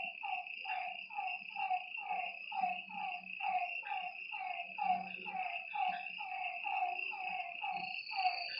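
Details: Frogs calling at night beside a lake: a dense chorus of short, downward-sliding croaks repeated about once a second, overlapping from several callers, over a steady high insect trill and faint low rumbling.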